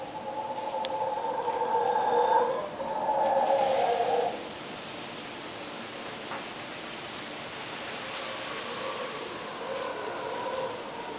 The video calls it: Sounds of the Howler Monkey 3